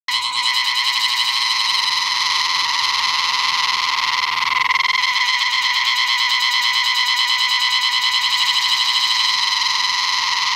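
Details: Cicada singing before rain in North Bengal, West Bengal, India: a loud, unbroken buzzing drone with a fast pulsing texture, holding steady for the whole stretch with only a slight swell midway.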